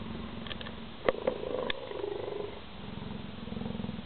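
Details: Cheetah purring: a low, steady, rhythmic rumble that pulses rapidly and continues throughout, briefly interrupted by a few sharp clicks and knocks.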